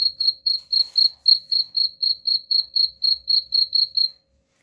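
A cricket chirps steadily, with short, pure, high-pitched pulses repeated about four times a second.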